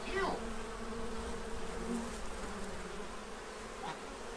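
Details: Steady humming buzz from bees feeding at a tray in Central Illinois ahead of winter, a continuous low drone with a short faint bird call near the start.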